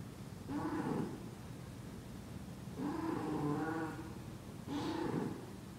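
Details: Ash, a Persian cat in heat, calls three times with nasal, wavering yowls. The first and last are short, the middle one long and drawn out, with quiet pauses between. A low room rumble sits underneath.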